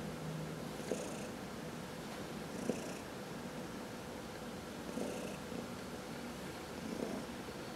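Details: Contented purring from a cat being massaged: a soft, even drone with gentle breathing swells roughly every two seconds and a couple of light taps, otherwise quiet.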